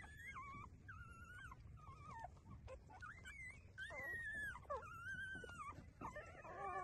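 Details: Breastfeeding puppies whine continuously, long wavering high-pitched whimpers from several pups overlapping, bending up and down in pitch, with a low hum of background noise.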